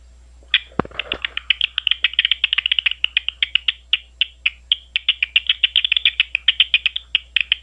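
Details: Big brown bat at Ohio State University emitting a continuous stream of rapid, evenly spaced chirping clicks, several per second, with a brief low thump near the start and a soft hum behind.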